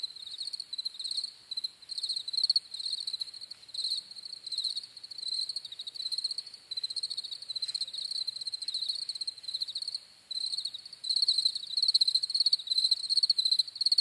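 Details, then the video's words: Chorus of crickets giving high pulsed chirps in irregular bursts, some louder stretches toward the end, a dense insect backdrop without birds, voices or music. "CRICKETS CHIRPING SOUNDS"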